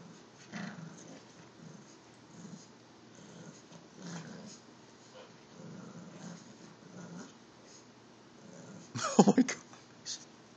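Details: Lola and Rico, an Olde English Bulldogge and an English Bulldog puppy, tussle over a stuffed bear indoors; steady low throaty growls pulse every second or so, then a sharp loud scuffle near the end.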